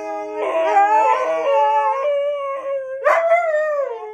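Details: A husky's drawn-out howl, starting wavering then settling into a steady held tone, followed by a sharp rising yelp-like onset and a falling, fading wail.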